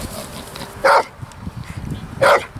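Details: Three-year-old intact male Pitbull and American Staffordshire Terrier cross, highly prone to biting and aggressive toward cats, dogs and people, during a behaviour assessment test; two sharp single barks about one and a half seconds apart over low background rumble.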